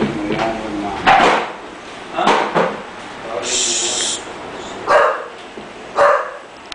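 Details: English Bulldog puppy giving short barks and yips, a handful of bursts spaced about a second apart, over a noisy background with a hiss and a voice.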